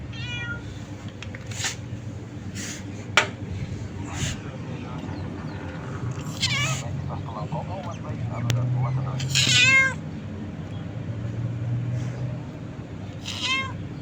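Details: Happy kitten in Abu Dhabi giving a series of repeated meows, some drawn out and wavering, mixed with a person talking in Hindi and a low background hum.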